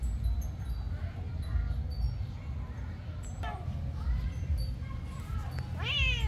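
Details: Angry kitten chasing after an adult cat: a few short, thin meows in the second half over a steady low rumble, ending in a louder drawn-out cry that rises then falls.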